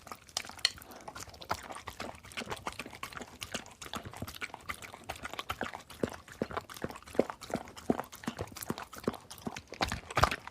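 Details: Dog eating food and drinking water: a steady run of short, sharp clicking and lapping noises, irregular crunches and licks packed closely through the whole stretch, fairly quiet with no voice or other sounds.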